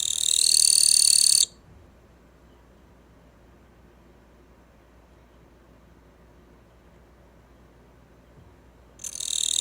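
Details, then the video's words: Captive Gampsocleis katydid that has just started singing; a loud, dry, high-pitched buzzing burst lasting over a second, a long silence, then another buzz beginning near the end, recorded indoors. "キリギリスの鳴き声 The sound of the Gampsocleis"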